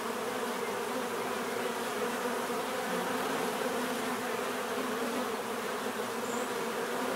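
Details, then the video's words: Constant buzzing of a mass of bees, an unbroken low humming drone, steady in loudness, with a faint high chirp late on. "bees therapy relaxing natural buzzing sound"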